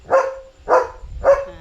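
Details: Three evenly spaced barks from Leo, a German Shepherd at home at night, sounding off at a dog he has spotted outside in the dark; each bark is short and mid-pitched, with faint low background rumble.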